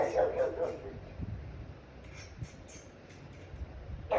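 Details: Jealous pet pug reacting indoors to dogs on a TV screen it sees as trespassing on its territory: a quick run of three or four sharp barks at the start, another bark at the end, with TV noise and faint ticking between.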